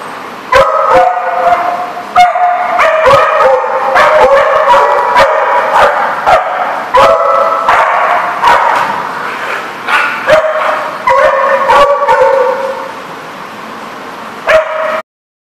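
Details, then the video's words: On April 21, 2014, several dogs keep up a dense, nearly continuous run of whines, yips and sharp barks with many clattering knocks, easing off near the end before stopping abruptly. "The Barking Lot"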